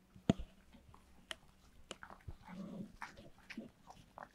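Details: Pet dog eating cake indoors, recorded up close: wet smacking, licking and soft chewing clicks in irregular bursts, with a sharp knock near the start and a faint steady hum beneath.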